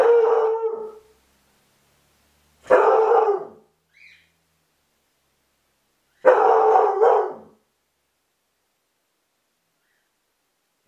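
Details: Belgian Sheepdog (Groenendael) indoors, barking at the doorbell while alone, recorded by a hidden camera: three loud, harsh bark bursts about a second long each, spaced two to four seconds apart, with a faint short sound between and silence otherwise.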